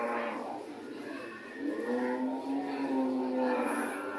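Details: Cow mooing in a low, steady voice. A soft, rising start leads into a sustained moo through the second half, with a faint higher note near the end.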